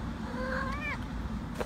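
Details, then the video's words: A female cat, asked by her owner whether she is hungry, answers with a single meow that rises and then falls, with clear overtones, against a low background hum. "Owner asks cat if she is hungry"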